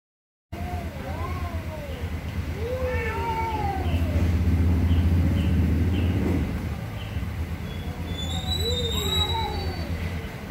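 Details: Angry cats meowing loudly: several wavering, arched meows, some rising and falling, spaced irregularly over a steady low rumbling background hum like a passing train or engine.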